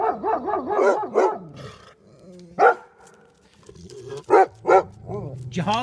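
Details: Two Golden Retrievers bark at a porcupine with a fast run of wavering yelps at the start, then scattered single barks separated by quieter stretches and some human voice sounds.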